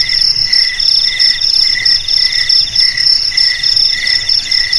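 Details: Crickets singing in chorus, with shrill high trills layered at several pitches; one lower voice breaks into short bursts about twice a second, over a steady ringing background.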